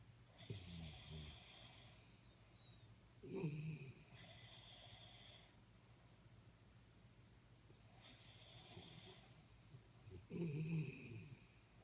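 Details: Jaxie the Jack Russell Terrier asleep and snoring: rough low snorts about every three to seven seconds, each breath carrying a faint high whistling wheeze, with quieter breathing between.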